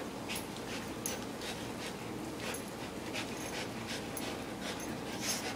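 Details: Two dogs, a visiting English Sheepdog and a chocolate Labrador Retriever, play roughly together. Quick breathy panting bursts come about every half second over a steady hiss of background noise.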